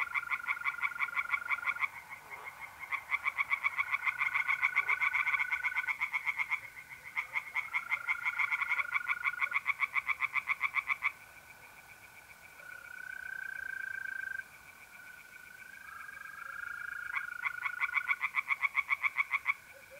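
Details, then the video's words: Night chorus of tree frogs at a pond in north-east Italy, mid April: bursts of fast, regular, rasping pulses rising and pausing in waves, with mole crickets trilling in long, smooth, steady tones throughout and between the frog bouts. "relaxing singing tree frogs in pond"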